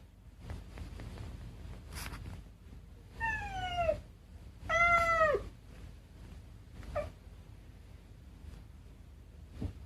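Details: A cat gives two clear, descending meows in quick succession, then a short chirp-like call a couple of seconds later, over low background room noise and occasional soft clicks.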